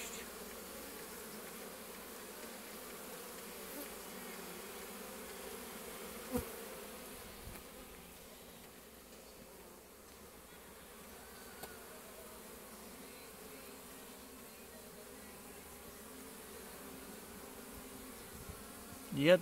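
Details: Many honey bees returning to the hive one after another carrying pollen; a steady, even buzzing hum that softens slightly midway, with a few faint ticks and a louder knock at the end.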